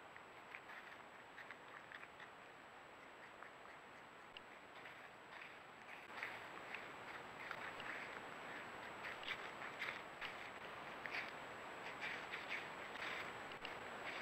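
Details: A wild cottontail rabbit, most likely Eastern (Sylvilagus floridanus), crunches a fallen Liberty apple under an apple tree on Halloween, crisp dry bites about twice a second, with a faint steady high whine in the background.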